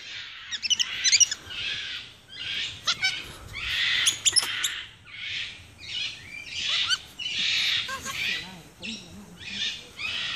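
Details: Several capuchin monkeys in Ecuador, April 2015, ganging up on one while another grips a finger. Raspy, breathy screams come in steady pulses, with thin high chirps between them and quiet human talk.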